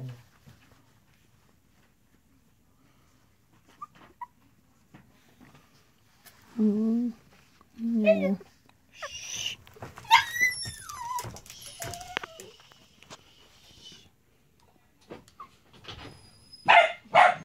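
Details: AKC Miniature Dachshund puppies, three females, indoors, coats described as red with chocolate base and brindle; thin high-pitched squealing whines sweeping up and down in short bursts, mixed with people talking close by.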